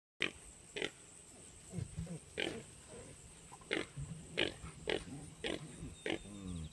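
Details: Registered Tamworth pigs and piglets of a farm's South Herd running up to the feeding area as the keeper approaches: short, harsh squeals and grunts from many animals, repeated about every half second, with low rumbling grunts beneath.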